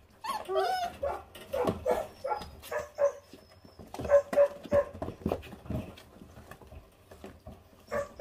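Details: Twenty-eight-day-old feral pups, a litter of five, guarding raw meat as they eat: rapid, irregular high yapping barks with a few thin whining tones between bursts and people talking nearby.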